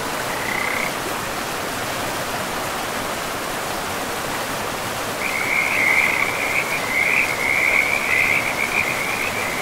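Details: Frogs by a river deep in a forest, a rapid pulsed trill at a steady high pitch, brief at the start, then rattling on continuously through the second half over a constant rushing of river water.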